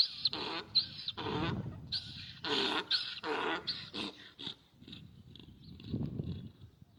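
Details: Donkey during mating: harsh, rasping braying bursts in a quick alternating series over the first four seconds, then fading into softer, lower grunting sounds.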